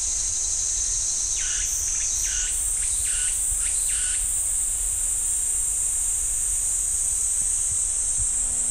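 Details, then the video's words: Cicadas in the pine forest at Ssanggyesa Temple, Jirisan National Park, drone in a steady, high-pitched buzz that never pauses, shifting slightly higher partway through. "[신바람 오늘의 소식] 국립공원공단_자연의소리_지리산 쌍계사 소나무 숲 매미 소리"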